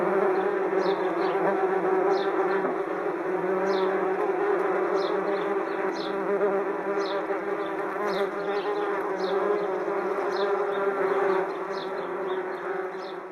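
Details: Large swarm of angry wasps flying around their nest high in a tree on a hot summer's day: a dense, steady droning buzz of many overlapping wingbeats, unbroken throughout, while sparrows tweet in the background with brief high chirps.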